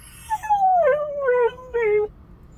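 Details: Husky puppy alone in a car, unhappy at being left: one long howl that slides slowly downward, broken into three wavering sections.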